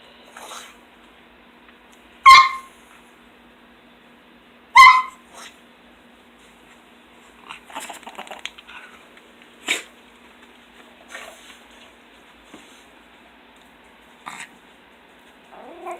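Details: Two pet pugs greet their owner arriving home from work indoors; two short, bright squealing whines about two seconds apart, followed by scattered snuffles, snorts and small grunts against a quiet room.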